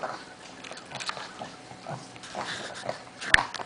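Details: Pug and Bernese Mountain Dog, Lucy and Crystal, in a wrestling match: snuffling grunts and soft growls in quick uneven bursts, then one sharp loud snap or yip near the end.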